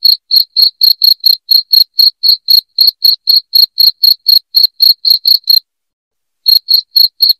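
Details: Shrill cricket chirping intended to chase away rats: a long, steady train of high pulses, about four each second, stops for nearly a second, then picks up again briefly.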